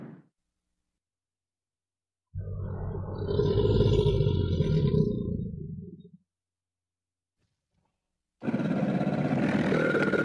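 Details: An American alligator in a river gives a deep, rumbling roar lasting about four seconds.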